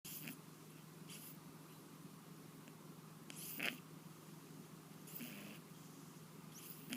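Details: Sleeping pet cat with a lingering cold, snoring quietly indoors: soft noisy breath bursts roughly every one to two seconds over a steady low hum, one sharper snort near the middle.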